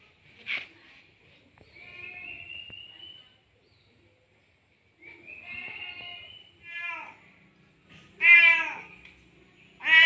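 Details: Tomcat that has just mated, meowing to call a female cat in heat; drawn-out, rising wails with strong harmonics, some wavering, about five calls spaced by pauses, in a quiet setting with faint background noise.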